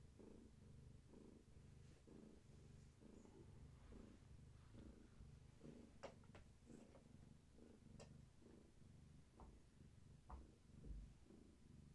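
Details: Steady, deep purring from Gaia, a pregnant long-haired tabby carrying many active kittens, resting indoors and petting herself against someone; the low rumble swells and fades with each breath, with faint clicks and rustling near the end.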